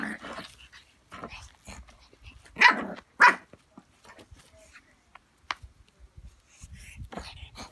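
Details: A 10-week-old pug puppy play-fighting with a fake pug indoors: scattered short snorts and growly yaps, two louder bursts near the middle, with quieter scuffling and breathy sounds between.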